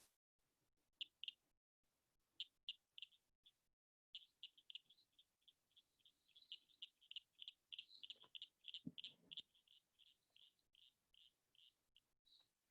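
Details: A Blanchard's cricket frog (Acris blanchardi) of the Chicago region gives its advertisement call: sharp, glassy clicks like marbles knocking together, speeding into a rapid run. It is an explosive breeder whose males call to attract females.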